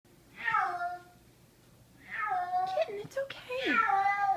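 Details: Frightened kitten screaming with horror after being carried upstairs indoors in summer 2014: two long, wavering, harmonic-rich wails that slide downward, with a soft human voice and brief handling noises between them.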